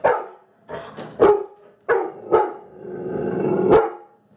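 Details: Female Labrador Retriever in a home kitchen, barking during play while acting tough toward an object she fears. Several loud, sharp barks come at uneven gaps, with a longer throaty bark-growl near the end.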